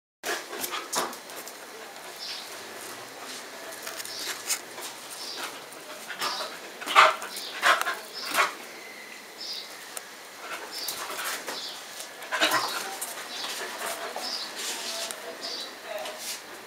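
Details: Two 4-month-old puppies, an Airedale Terrier and a Yorkshire Terrier, play together; the Airedale Terrier gives short, irregular yips and gruff barks, with scuffling between calls.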